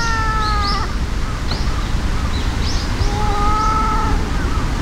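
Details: Cat fight between an enraged white-and-brown tabby and an outmatched brown tabby: sustained tonal yowls at the start and again after a pause, with brief high chirps scattered between them over constant low background rumble.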